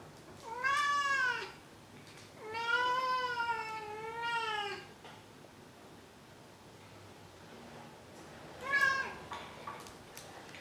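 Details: Pet cat Maru meows indoors after catching a toy, his usual habit before turning over on his back, seemingly proud; a short meow, then a long wavering one lasting about two seconds, and a brief third meow after a quiet gap.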